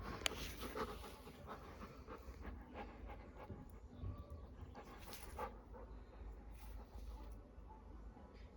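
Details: Labrador Retriever, a pet dog, in a calm ASMR-style home recording: soft, steady rapid panting breaths with a low rumbling background, one sharp click early on, and occasional light rustles.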